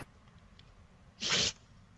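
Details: A single pet dog's sneeze: one short, sharp burst of breathy hiss lasting about a quarter second, set against a quiet room with faint background hum.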